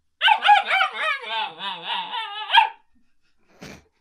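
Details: A puppy talking to its owner: a wavering, whiny howl-like voice rising and falling in pitch for about two and a half seconds, followed by silence and one short soft noise burst.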